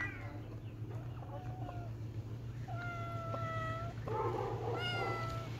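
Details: Playing kittens make soft, thin meows, first faint and short, then two longer level cries near the end, over a persistent low hum and light rustling.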